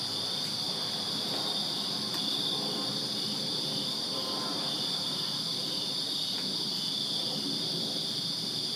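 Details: Crickets chirping in a Virginia backyard on a summer night: a dense, unbroken high-pitched chorus of steady trilling in two shrill bands, with a soft low rumble underneath and a few faint clicks.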